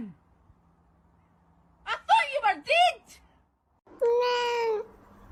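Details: Indoor domestic cat making two quick, bent meows in close succession, then after a brief pause a steadier, slightly longer meow held for nearly a second in a quiet room.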